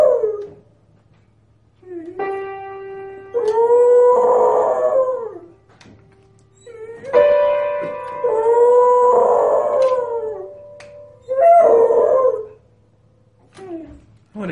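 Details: A dog performs with music, howling in bending, wavering phrases between held instrumental notes. Three howls alternate with the instrument's chords, and the low background hum continues throughout.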